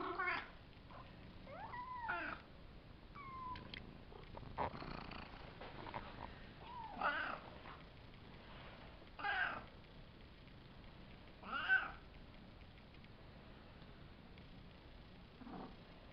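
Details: Savannah kittens around five weeks old, three males and two females, meow a few times early on with rising tonal calls, followed by scattered thumps, rustles and short broadband bursts indoors.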